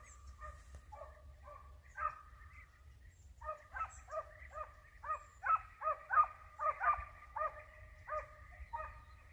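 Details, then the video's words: Hare-hunting dogs baying on the hare's trail: sparse single barks at first, then a quicker, louder run of ringing barks, about one and a half per second, against low background rumble. "Caccia alla lepre SCOVO LEPRE IN VISTA 2 VOLTE"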